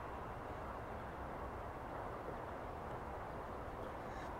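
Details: Steady low outdoor rumble, like distant traffic or wind, with no clear animal calls.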